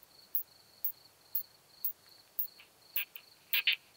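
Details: Curve-tailed plump bush-cricket singing in early June at Hohenbrugg an der Raab, Austria. Short, high, dry ticks repeat about every half second over a thin steady whine, ending in a quick double tick.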